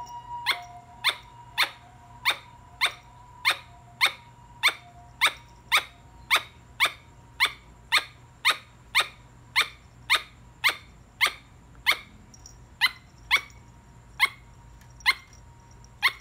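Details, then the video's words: Squirrel giving a long series of sharp, clicky barks, about 28 in sixteen seconds at a steady pace of roughly two per second, each note short and bright, over a faint constant low hum. "松鼠🐿️ 澎澎的叫聲"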